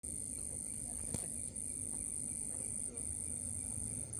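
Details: An unidentified cricket sings a thin, piercing, unbroken high trill with a few brief pauses over a low background rumble; recorded 14 May 2025 around 21:18, at night.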